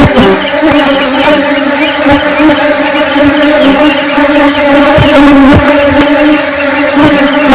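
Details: Flying honey bees make a steady, low droning hum with stacked overtones. It runs unbroken for the whole stretch, with a few soft knocks scattered through it.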